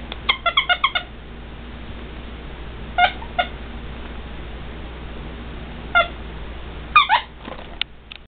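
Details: A female Shih Tzu puppy gives short, high, squeaky yips in quick bursts, with pauses between.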